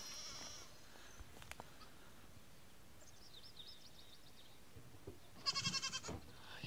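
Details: Nigerian Dwarf goat kids on their first day of life; a brief high quavering bleat near the end after a long quiet stretch, with a fainter cry at the start and soft background noise.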